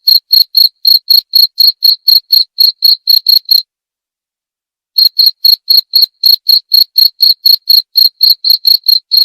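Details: A cricket chirps in quick, regular high pulses about four per second, stops for over a second, then resumes the same steady chirping; no other sounds.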